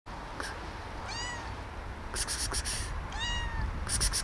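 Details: Hungry, friendly cat meowing for food while approaching a person for attention; two clear falling harmonic meows about two seconds apart, with rhythmic high clicking or rustling bursts between.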